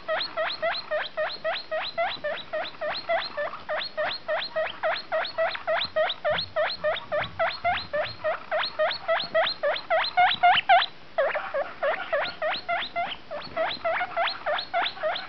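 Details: Female guinea pig giving a steady series of short, squeaky, rising calls, roughly three to four per second, with a brief break near the eleven-second mark, continuing for about fifteen seconds with no other clear sounds.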